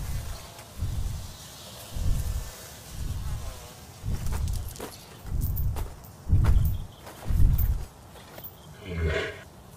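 A gorilla gives deep, rumbling grunts, about one per second, each short and very low, with a faint voice near the end.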